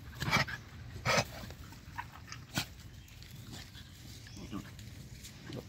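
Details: Stray dogs playing and digging together happily outdoors; a few sharp, noisy bark-like bursts come early on and again around the middle, followed by softer scattered yelps over a steady background hiss.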